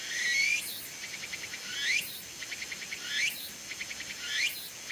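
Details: Tsukutsuku-bōshi cicada calling from a persimmon tree in late summer to early autumn; shrill high buzzing phrases rising into a sweep, each followed by a run of rapid pulsed ticks, the cycle repeating about every 1.3 seconds.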